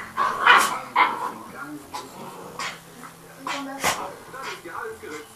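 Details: Father dog with his pups hanging on his neck during play; several short, sharp yips and barks burst out irregularly over people talking in the room.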